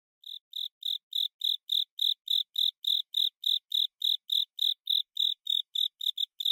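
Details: Japanese burrowing cricket (Velarifictorus micado), whose song is rendered in Japanese as "kata sase, suso sase". Steady, evenly spaced high chirps, about three a second, continue through the whole recording with no other sounds.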